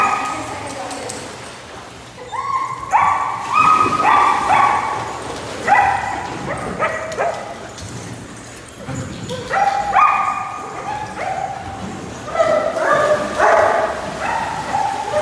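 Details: Several pet dogs, with Labradors, German Shepherds, Border Collies, Goldendoodles and other breeds named, giving long, tonal, overlapping howl-like whines that step up and down in pitch. Bursts come in waves with short quiet gaps between them.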